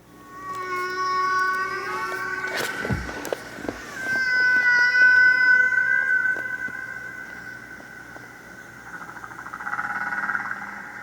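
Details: Humpback whale song from the classic early-1970s recording by Frank Watlington and Roger Payne: long, wailing tonal cries with rising and falling harmonics, a swooping descending groan, and sustained high moans.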